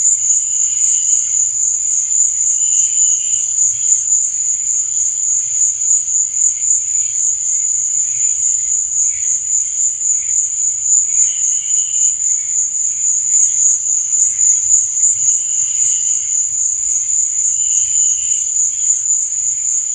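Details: Crickets at night keep up a relentless, even high-pitched trill for twenty seconds, punctuated by short, fainter, lower chirping bursts at irregular intervals of a few seconds.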